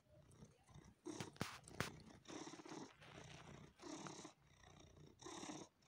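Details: Domestic cat purring while sucking on and kneading a person; rough breathy purr bursts swell and fade about every second, with a few sharp clicks early on, indoors.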